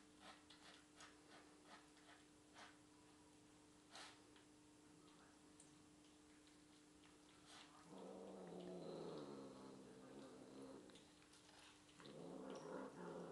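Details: Misty, a pet cat indoors eating leftovers of chicken stir fry, talks while she eats: after quiet chewing ticks, two longer harmonic, growly murmuring calls rise up, one lasting about three seconds and another near the end.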